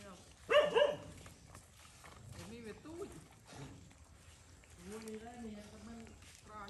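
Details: Mother stray dog at a Cambodian farm, defending her puppy during feeding by a boy: one sharp, harsh bark early on, followed by soft speech and background chatter.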